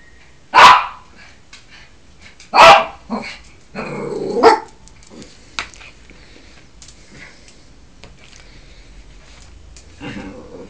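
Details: Yorkshire Terrier acting as guardian of the house: a few sharp, broadband barks spaced about two seconds apart, followed by a short growly yap and a quiet stretch with faint background rustling.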